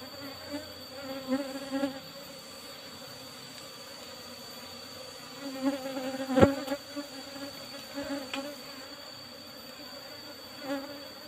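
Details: Apis cerana colony disturbed during honey harvesting from an old asbestos-lidded box hive; persistent droning buzz with scattered knocks and one loud crack midway, over a thin constant high-pitched whine.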